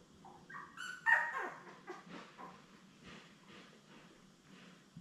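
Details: Labrador Retriever litter of seven puppies, born May 24, 2021, beside their mother Belle, filmed June 3; a cluster of shrill, rising squeals with bright harmonics near the first second, fading to faint murmurs and shuffling.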